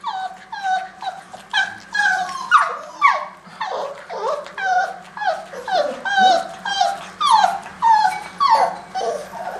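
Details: Several Greater Swiss Mountain Dog puppies going for the hunt whimper and yip almost continuously, overlapping high cries sliding downward, about two per second, in a small indoor space with a faint low hum.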